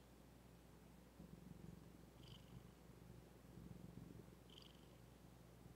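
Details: Quiet, continuous purr of Zephy, a female domestic cat: a soft low rumble pulsing rapidly and evenly, with two faint brief chirps in the background.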